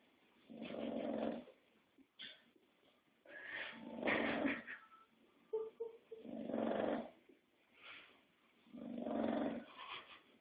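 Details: Domestic English Bulldog asleep and snoring, giving a steady series of hoarse, rasping, low breaths about every two to three seconds, separated by faint snorts and nasal whistles.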